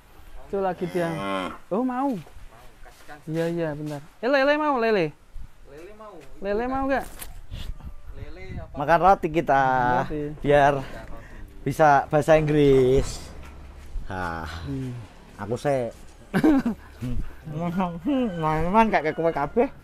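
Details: Young Indonesian cow, around seven months old, lowing in a run of short, wavering moos and longer bellows across twenty seconds, with people chatting nearby in between calls.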